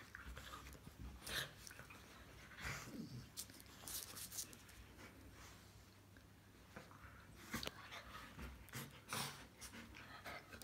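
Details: Bearded Collies Mathilda and Gretchen playing together: scattered short, breathy bursts and scuffling sounds every second or two, with sharper broadband snaps near the middle and end, over a quiet low hum.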